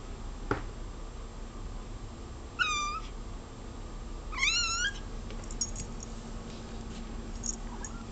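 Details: Pet cat Cola, indoors and fixed on a bug on the wall, gives two clear meows, the second longer with a dipping, wavering pitch, between clicks and quiet room noise.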